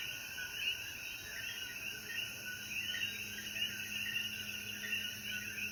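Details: Evening in the Jayuya mountains of Puerto Rico after rainfall. Numerous coquíes call together in quick overlapping chirps, backed by a steady shrill insect tone and a faint low hum.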